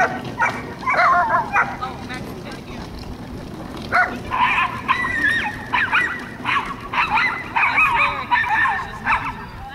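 A Welsh Corgi gives bursts of high, sharp barks and yips, with voices in the background.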